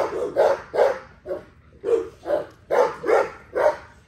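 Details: During an exercise session, an XL American Bully gives a string of gruff barks, about nine in four seconds, paired and grouped irregularly with a short pause in the middle, each a punchy mid-pitched bark.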